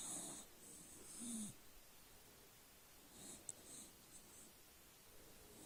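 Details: Dog called Charlie snoozes on his back, opening with two wheezy snores that carry a thin whistle, followed by quieter, faint breathing puffs in a still indoor setting.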